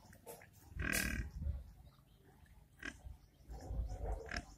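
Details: Village pigs eating grunt low and rough, with one sharp, harsh squeal standing out near the start.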